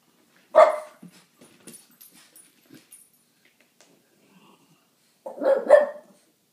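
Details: French Bulldog claiming her territory, guarding her spot while playing among three French bulldogs indoors; two loud, rough barks about five seconds apart with soft scuffling and small noises between.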